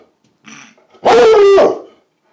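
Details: Plott hound mix baying at a squirrel it has seen, one long drawn-out howling bay held about half a second with a steady tone, a man's voice urging it on just before.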